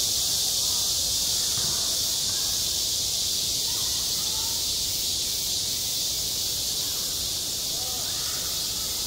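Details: Midsummer cicadas on a school playground, a piercing, constant high-pitched whirring that never lets up, with faint background voices beneath the drone.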